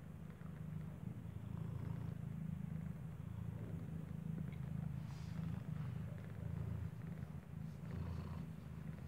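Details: Mother cat that gave birth inside a building nurses a newborn kitten whose eyes are not yet open. A low, steady, rumbling purr continues without a break throughout, over faint background noise.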